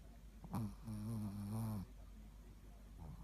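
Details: Ruby, a Shih Tzu kept as the mascot dog of Progreso in Sakado, snoring in her sleep on 13 February 2018: a short snort, then one long, droning nasal snore of over a second, followed by soft breathing in a quiet room.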